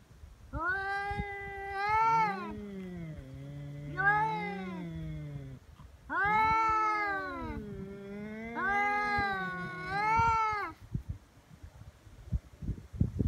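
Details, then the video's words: Two feral cats in a fight on Japan's Cat Day, February 22, trading threats before biting and swatting: long, harmonic, rising-and-falling yowls that overlap, with a lower moaning growl held between the calls and rustling at the end. "猫の日ガチ喧嘩「威嚇で相手が引かない噛みつきや猫パンチに発展」野良猫 Cat Fight"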